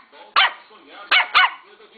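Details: A three-month-old Lhasa Apso puppy gives three sharp, high yapping barks, the last two close together.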